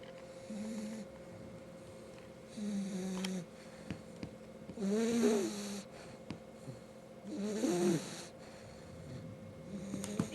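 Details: Five-month-old French Bulldog puppy asleep indoors, snoring: soft nasal snores roughly every two to three seconds, some with a wavering, whistling squeak on the inhale, over a faint steady background hum.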